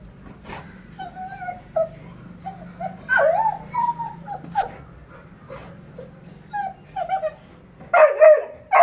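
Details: A 6-month-old female Persian cat gives short, whiny mews in quick succession, with thin high squeaks in the background.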